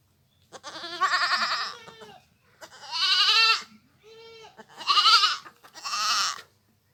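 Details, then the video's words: Goat from a village, calling in a run of five wavering, quavering bleats over about six seconds. The loud, harsh cries alternate with a softer, purer middle note, with short pauses between them, over faint low background rumble. "goat sounds / really goat sound effect"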